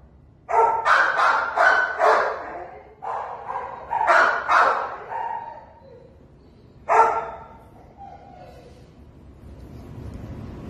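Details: Treeing Walker Coonhound at a shelter awaiting adoption, recorded 16 December 2020 in the early afternoon, barking in a rapid run of about eight deep, ringing barks over four seconds, then one more bark after a pause, then quiet background.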